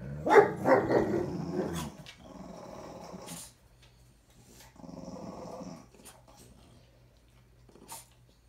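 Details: French bulldog female, in heat and moody, growling and grumbling while arguing with another French bulldog and a German Shepherd indoors; a burst of harsh growls in the first two seconds, then softer rumbling grumbles with pauses, a person's voice briefly between.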